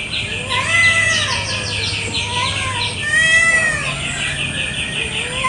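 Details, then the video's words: Village cats squabbling over territory in a garden one morning give two drawn-out, wavering yowls that swell and fade. Rapid, rhythmic high chirping runs steadily underneath, with a low hum. "KUCING BERTENGKAR HEBAT BEREBUT WILAYAH"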